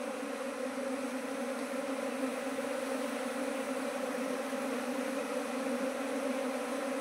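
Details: Asian honey bees at a keeper's hives, an apiary grown from one hive to 19 colonies in two months. A steady, dense droning hum runs throughout with even pitch and loudness and no other clear sounds.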